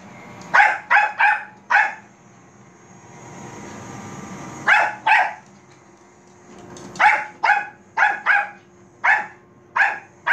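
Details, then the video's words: Pet Bichon Frise Manbok barks repeatedly at a robot vacuum, short bright yaps in runs of three or four, a mid-clip lull filled by the rumbling drone of the cleaner moving. "비숑프리제 만복이 로봇 청소기멍"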